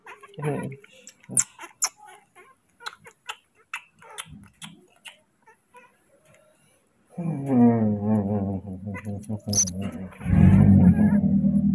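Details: Baby monkey Moni, furious at being left for a while by his father, who went to pick fruit; soft scattered taps and clicks give way to a loud, wavering, harmonic scream that breaks off briefly and then resumes.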